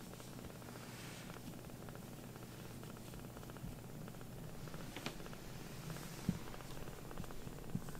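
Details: Rescued baby kitten Sokkun, whose four legs look like they wear socks, purrs contentedly on its carer's lap after earlier sulking; continuous low rumbling throb with faint rustles and a few soft clicks indoors.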